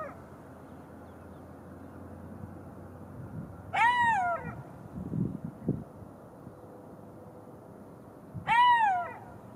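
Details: Two drawn-out, falling wails from a golden jackal, each about a second long, spaced roughly five seconds apart, with soft low rustling and thumps in between.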